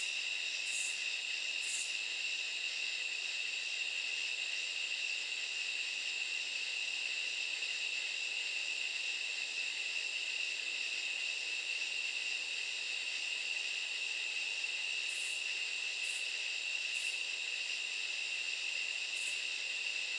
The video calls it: sound of katydids